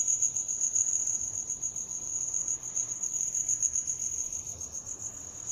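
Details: A cricket trills continuously, its thin, very high tone pulsing rapidly and unevenly, with a brief dip in volume midway; soft low noise underneath.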